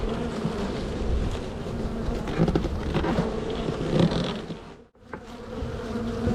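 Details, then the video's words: Honey bee colony buzzing in spring while a beekeeper splits and relocates the hive. Low rumbling hum with soft knocks, a brief dropout near the end, then the drone returns. "Bee Hive walk away split and relocation"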